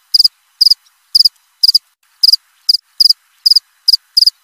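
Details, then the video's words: Cricket giving a brisk run of ten clipped, high-pitched chirps, each made of three or four rapid pulses, coming roughly every half second with nothing else audible. "Suara jangkrik krik.. krik.."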